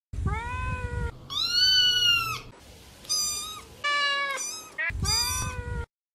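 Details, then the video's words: Domestic cats meowing in a run of separate calls, some long and drawn out, others short and rising, varying in pitch from one call to the next, with brief gaps between them. "Sons de Gatos"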